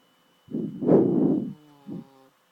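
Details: Chloe, an adopted pet dog, snoring loudly while asleep: one long rough rattling snore of about one second, then a shorter snort, low and harsh in a quiet room with a faint steady hum.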